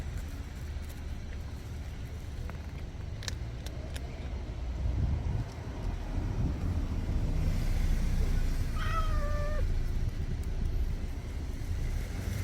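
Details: Stray cat eating kibble outdoors gives a single brief meow late in the recording, falling slightly in pitch, against constant low traffic rumble and street noise.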